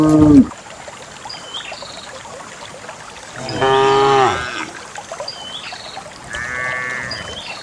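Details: Dozens of cows herded and running along a narrow path to a farm pen; a brief low moo opens, then two more distant harmonic moos later, with faint hoofsteps and rural ambience.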